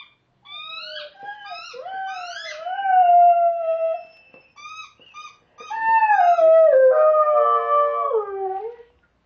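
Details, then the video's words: A Dalmatian howling along with squeaky toys indoors: long wavering tonal howls with rich harmonics, rising and falling, broken into a few short yips midway before a second sustained, sliding howl. "Dalmatian howling with squeaker"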